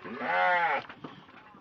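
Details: Penned farm sheep being counted; one loud, strained bleat lasts under a second, then only faint voices and shuffling remain.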